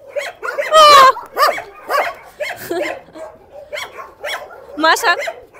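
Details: Rescue-shelter dogs give a loud, sustained high yelp early on, then a series of sharp barks spaced roughly every half second, with fainter dogs yipping behind.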